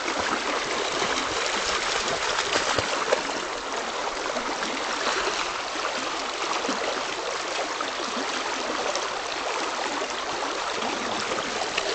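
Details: Steady rushing of river water with gurgles and trickles fills the whole stretch, with no animal calls heard.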